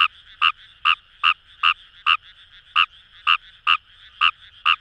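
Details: Fejervarya kawamurai calling in paddy fields along the Kamo River, Itoshima, Fukuoka, Japan: short clicking croaks with bright upper overtones repeated about twice per second, slightly uneven spacing, over a faint steady chorus background.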